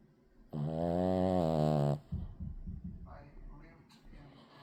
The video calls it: Boston Terrier snoring!!!